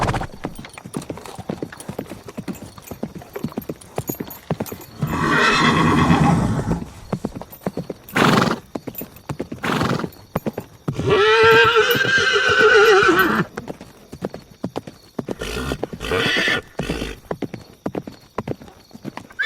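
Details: Steady clip-clop of hooves runs throughout, broken by a rough, breathy outburst near the middle and then a wavering, harmonic horse whinny lasting about two seconds, followed by more hoofbeats and snorts.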